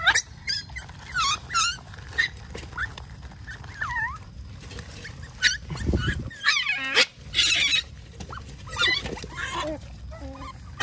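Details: Hungry otters waiting to be fed fish in the mangroves call over and over with sharp, harmonic-rich chirps and squeals, some wavering and looping, with bursts of splashing and a low thump midway.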